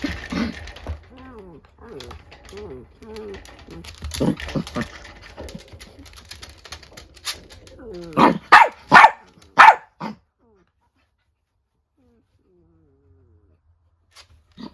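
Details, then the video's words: Two female house dogs, an old miniature dachshund and a younger Chiwax, a Chihuahua and rabbit dachshund cross, quarrel angrily; human chatter opens, then four loud, clipped barks in quick succession around the middle, followed by silence. "【犬の鳴き声】怒る犬 老犬VS成犬/ミニチュアダックスフンド/チワックス"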